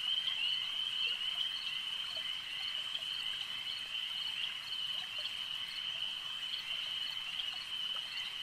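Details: Frogs at a lake keep up a constant, rapid high trilling hum, dense and even, with soft faint ticks scattered underneath.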